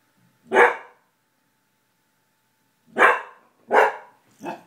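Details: Pet dog indoors barking at someone passing in the hall, something he does mostly at night: one loud sharp bark, a pause of about two seconds, then three quick barks in a row, the last one softer.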